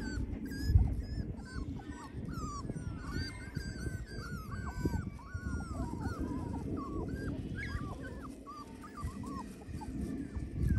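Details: Border Collie, several high, thin whines overlapping and bending up and down, some yipping, over a steady low rumbling background noise.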